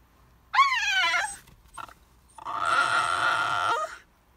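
A Basenji cries with a bent, yodel-like whine, then a long harsh, raspy wail.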